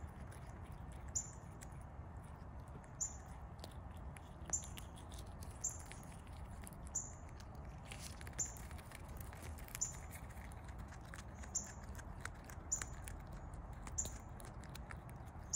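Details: A chipmunk stuffing peanuts into its cheeks gives short, high, sharp chips, repeated roughly every second over a low background hiss.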